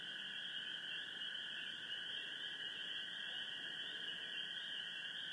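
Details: A dense night chorus of common gray treefrogs and spring peepers under a full moon in Sheboygan County, Wisconsin, trills and high peeps blending together.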